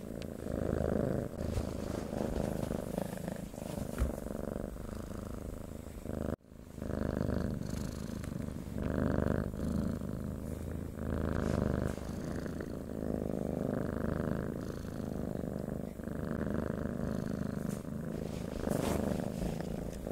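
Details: Continuous low, throbbing purr of a domestic cat, alternating breath phases about every one to two seconds, broken once by a brief silent cut near the middle.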